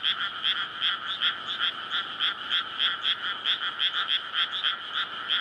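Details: Frog chorus at night in May from a rice paddy flooded before planting, amid housing, calling to court for egg-laying; a dense layer of pulsed croaks, roughly two or three per second, overlapping steadily with no other clear sounds.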